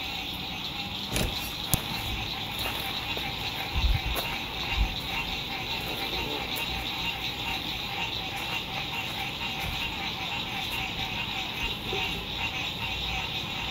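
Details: Frogs singing at sunset beside a lake at a spring RV campsite in 2021, a dense continuous high trilling chorus with soft thumps, light road noise and movement from nearby campers.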